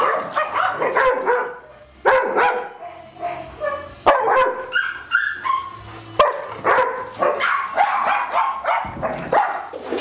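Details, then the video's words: Dogs Darwin, Vader, Bars and Boudicca at play on July 8, 2010: sharp harmonic barks come in clustered bursts about every two seconds, with yips and rough growly sounds between them. "Dog Play"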